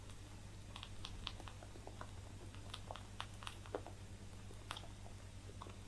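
A rabbit chews hay with quick, dry crunching clicks against a steady low hum.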